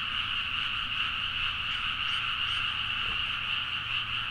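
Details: Many frogs calling at midnight in a Nagaoka, Niigata paddy field, Japan, Zoom H4n recording: continuous massed croaking with a loose pulsing of roughly two to three beats per second running through the steady chorus.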